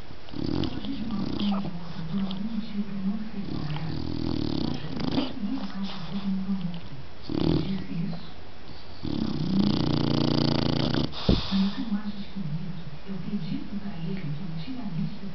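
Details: A dog snoring: low, rough rumbling breaths in uneven pulses, with a few louder raspy bursts partway through.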